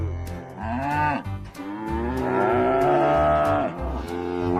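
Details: Cattle mooing: a short low moo, then a long drawn-out bellow that rises and holds for about two seconds, over steady background music with a rhythmic beat.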